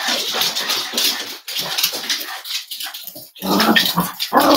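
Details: Cavalier King Charles Spaniel puppies snuggling together at home on a warm Friday morning, raised as emotional support animals. Dense, noisy bursts of soft whimpering and shuffling run almost continuously, with short quiet gaps near one and a half and three and a half seconds.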